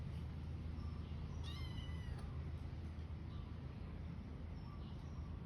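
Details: Domestic cat licking its fur utters a single short meow that rises then drops, about half a second long, heard over a strong, constant low rumble of background noise with faint chirps scattered afterward.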